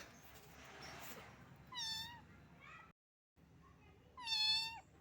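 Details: Small stray cat found wet in the rain and shivering from the cold, meowing: two high, slightly falling meows with rich harmonics, one near two seconds and one near four and a half seconds, over faint background hiss.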